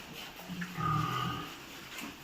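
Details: Duroc pig on a pig farm in Assam, India: a low, droning grunt of about one second rises out of quiet farm background, with a faint thin tone above it and a steady high hum throughout.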